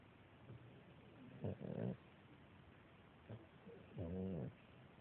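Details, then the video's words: Beagle puppy, a female, fast asleep on her mother, giving two soft, low, buzzy snores about two and a half seconds apart, each with a faint, brief lead-in breath, in a quiet indoor setting. "Snoring beagle puppy"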